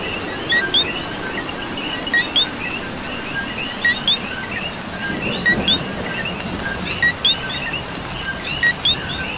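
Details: Coqui frogs in Puerto Rico during rain give sharp paired chirps, low then rising high, repeating at steady intervals over a thick chorus of overlapping callers and gentle rain patter.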